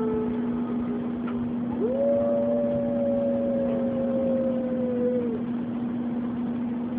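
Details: Oliver, a dog at Oliver's Dog Daycare and Boarding, sings along with the weekly tornado siren test: one long howl that swoops upward, then holds and slowly sinks for about three seconds over the steady droning siren.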